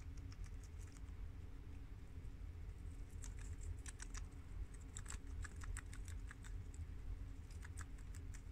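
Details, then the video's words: Four pet guinea pigs of American, long-haired mini yak and Abyssinian breeds eating fresh garden romaine lettuce: sharp chewing crackles arrive in quick irregular flurries, loudest midway, over a low continuous rumble. "Adorable Guinea Pigs Eat Romaine Lettuce for 10 Minutes!! Cute Munching Sounds!!"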